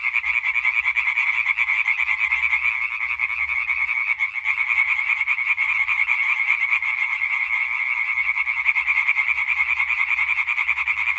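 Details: Singing concert of European tree frogs on 20 May 2023, a dense chorus of rapid rattling croaks, about three pulses per second, continuous and loud with a slight dip near four seconds.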